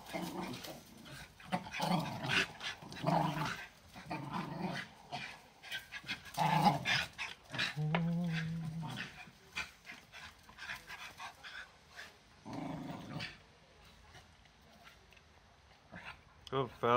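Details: Patterdale terriers, 13 months old, working on a chew stick. Deep growls come in short rumbling spells, with sharp chewing clicks and a brief whiny, voice-like sound partway through. Quieter stretches follow before a final burst of crunching.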